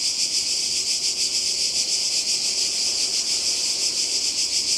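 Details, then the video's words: Cicadas calling by the sea in Croatia in summer 2020: a dense, continuous high-pitched buzzing chorus that pulses slightly in loudness, with no other clear sounds. "Kroatien Zikaden und Meer"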